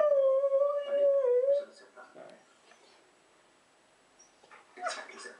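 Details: Pet husky indoors vocalising because it wants to play with the household rabbit; a sustained, wavering howl-like tone in the first second and a half, then quiet, ending with a few brief higher yelps or whines.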